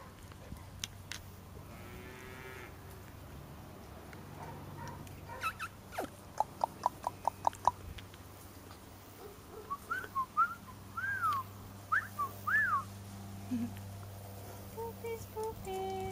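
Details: Six four-week-old Golden Retriever puppies in their outdoor playpen for the first time, late September 2013, Haute-Savoie, France, intimidated by cows mooing nearby and a plane overhead: sharp taps, then a run of short, high, arching whimpers over a steady low rumble.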